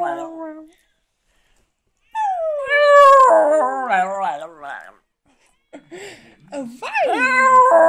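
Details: A dog singing before a laughing, applauding audience, producing drawn-out, wavering howls with a trembling vibrato, broken by silences, with human speech heard alongside.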